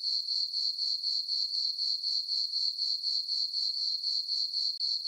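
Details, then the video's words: Crickets on a farm meadow at night in summer, full moon overhead: a bright, unbroken high trill throbbing in regular quarter-second pulses, otherwise silent. "Cricket chirping sounds for sleeping"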